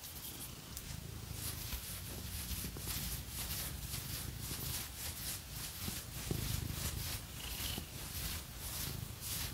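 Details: Phoenix the cat purring during a scratching session: a gentle, throbbing low hum continues beneath a busy wash of fast scratching strokes.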